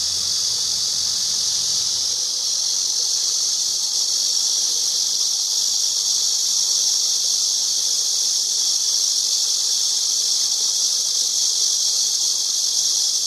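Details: Long, even, high-pitched drone of a singing cicada, a hissing buzz that never breaks, with a brief faint low hum in the first two seconds.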